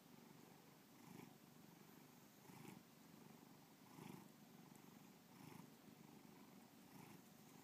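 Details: Pet cat Bubba purrs continuously, a low throbbing hum with soft breathy surges about every one and a half seconds, each breath cycle brightening the tone briefly.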